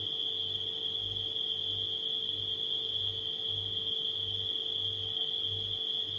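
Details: Chorus of nighttime crickets giving a constant shrill trill without pauses, layered over a refrigerator humming low with rhythmic pulsing throbs.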